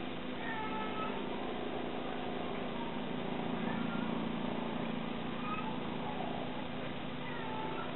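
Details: Kuro, a mother cat calling as she searches for her kittens, gives faint, drawn-out meows scattered across the recording, set against a steady low hum and broad background noise.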